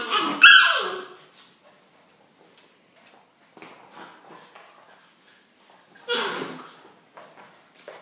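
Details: Rhodesian Ridgeback puppies at play in a chase; a sharp high yelp opens, then quiet scuffles and faint noises, then a louder, rougher yelp or bark burst about six seconds in, with softer sounds after.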